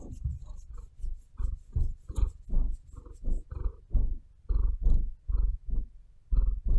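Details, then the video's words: Pet cat purring and breathing at close range indoors: deep rumbling pulses repeat about twice a second, rising and falling with each breath, with some louder scratches from its claws kneading into a bed. "Cat Purring Cat Breathing"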